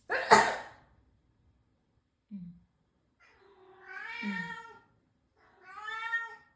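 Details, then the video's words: A newly arrived domestic cat, described as a crybaby, gives two drawn-out wavering meows, the first rising then falling, the second shorter, after a sneeze-like burst and a brief low sound at the start. "Yan ung bago pusa nag asawa ko iyakin"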